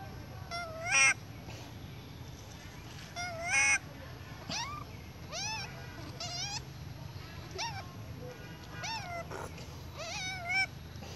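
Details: A baby monkey cries loudly in high, wavering squeals, with two louder, harsher outbursts among them; said to be crying for milk from its mother.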